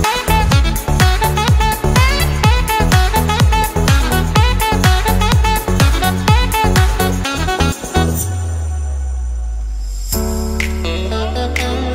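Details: Loud electronic dance music with a steady four-beat pulse that drops to a sustained bass drone near the end.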